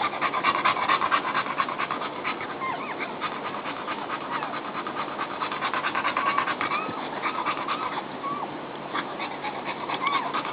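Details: Mother dog settling in with her newborn puppies, trying to get comfortable; steady rapid panting with faint high squeaks from the puppies.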